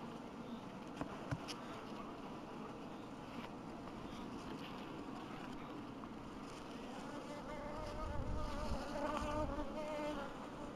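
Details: Honey bees at an apiary in 2012 make a constant low hum, swelling louder toward the end as buzzing grows closer, with faint tonal whine overhead.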